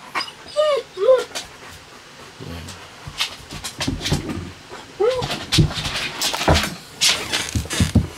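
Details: German Shepherd indoors whining to call its owner after something dropped under the bed: two short rising-falling whines early on, another near the middle, mixed with people talking and household clatter.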